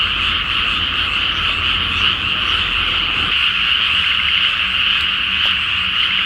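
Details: Frog chorus at night from a flooded rice paddy before planting, full moon, Japan; steady massed croaking trills fill the scene, with a faint low hum and a couple of brief clicks near the end.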